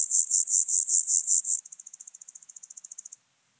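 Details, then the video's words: Austrian Alpine grasshopper, recorded on Obir on 30 July 2022, rasps a handful of loud, broad pulses, then switches to a quicker run of softer, thinner ticks before falling silent. "Chorthippus alticola -- Höhengrashüpfer -- Alpine Grasshopper"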